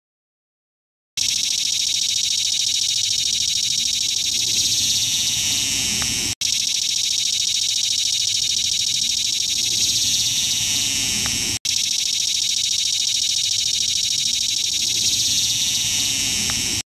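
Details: Close view of a cicada singing: a loud, continuous, high-pitched buzzing drone with a fine rapid pulse, steady throughout, broken only by two brief cuts.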